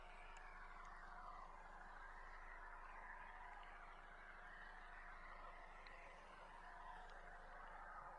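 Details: Large group of feeding belugas heard underwater from a tour boat on July 16: many overlapping rising and falling squeals and whistles form a dense, continuous chorus over steady water hiss.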